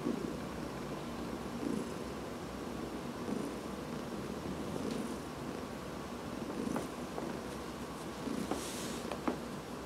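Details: Domestic cat purring while being massaged, August 2019, indoors; a quiet, steady rumbling texture runs throughout, with a few faint clicks and soft rustles on top.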